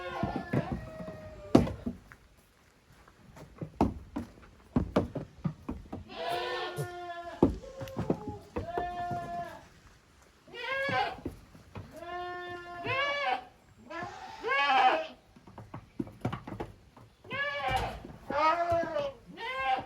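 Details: Goat kids divided into two teams, Koharu's young and Okayu's young, romping in the exercise yard at Yoshigake farm, 13 June 2023; many overlapping wavering bleats from several kids, interspersed with hoof knocks and clatter.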